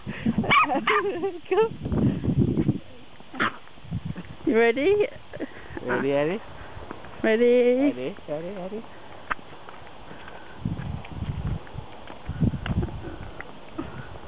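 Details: Jack Russell Terrier named Eddie, a pet dog worked up while being taken out for a walk, lets out a run of high, wavering, drawn-out whines and yelps in short bursts, with human voices talking between and over them.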